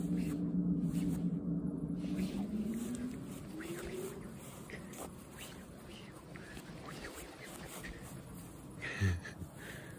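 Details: Black cat warning a human to back off, a Halloween scene: a low, drawn-out moaning growl held for about three seconds, then climbing slightly in pitch as it fades, followed by quiet rustling and a short thump.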